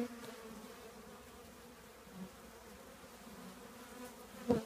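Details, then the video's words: Honey bee colony living in an old trash can, a low, steady droning hum with soft overtones running without pause, faint and even, broken only by a brief knock near the end. "10 minutes with the trash can bees"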